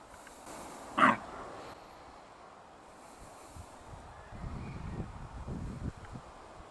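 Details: Red deer hind in Bristol, England, on 21 September 2015, giving a single sharp, hoarse grunt-bark to warn her companions of an approaching wildlife film-maker; faint low rumbling follows.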